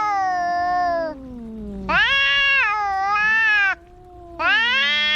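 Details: Two fighting cats caterwaul: a descending wail, then a sustained, quavering high yowl, a short gap, and another loud yowl starting up, with a lower growling tone underneath.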